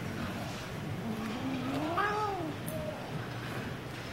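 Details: Daisy, a pet cat, attacking a mitten, lets out one drawn-out meow that rises and then falls in pitch over about two seconds, above a low, steady background hum.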